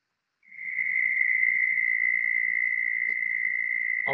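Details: A southern toad gives a long, steady, high-pitched trill on one even pitch, about an octave higher than the similar trill of the American toad.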